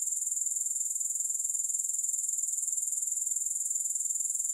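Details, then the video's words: Unbroken high-pitched grasshopper chirring with no music, fine rapid pulses throbbing at an even rate from start to finish with no gaps. "Grass Hopper Sounds"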